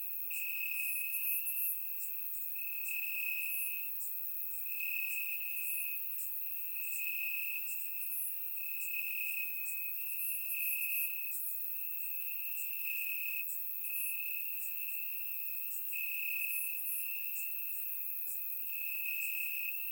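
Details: Night chorus of crickets in Bulgarian grassland on a warm summer evening, captured in surround sound; a constant shrill trill beats in louder bursts roughly every one to two seconds, over a dense haze of faint high insect clicks.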